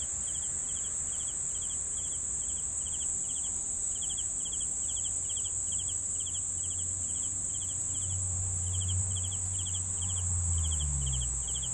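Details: Cricket chirps of three fast pulses repeat rapidly and evenly over a constant shrill insect hum; a low rumble swells near the end.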